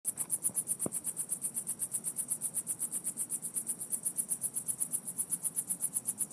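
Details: Crickets give high, thin chirps, about seven a second, over a low muffled rumble like a bad speaker or leaking car muffler, unidentified, heard in the same spot over the last two weeks.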